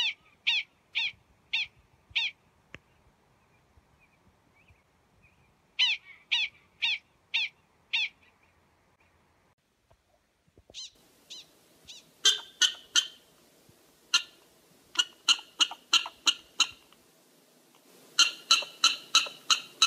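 Prairie dogs give sharp, high chirping barks in quick repeated bursts of four or five.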